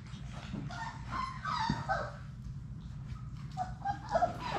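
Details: Labrador Retriever puppies, part of Sadie's litter of six, playing in their puppy play room. Short high yips and whines break through scattered, brief and uneven, over a steady low hum and scuffling clicks.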